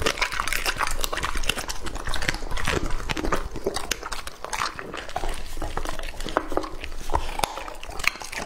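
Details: Raw meat is chewed by Lucky, a male English-type Labrador Retriever aged two and a half. Dense, moist crunching and biting clicks sound close to the mic, with louder gulping snaps near the middle.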